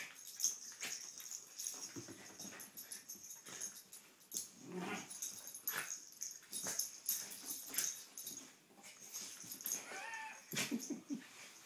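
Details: Two pet dogs at play, giving breathy wheezes, snorts and short scuffling bursts throughout, with a brief whining note near the end and a person speaking.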